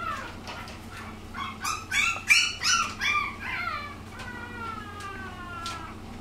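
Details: Female puppy just over a month and a half old, recorded indoors on 17 March, giving a run of high whining cries that rise and bend, loudest in the middle, then fading into softer drawn-out whines over a low hum.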